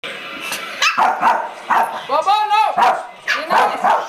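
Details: New puppy Rambo barking for the first time while trying to play with Mr. Bobo: a quick series of short, sharp yips and a brief whining cry, with people talking in between.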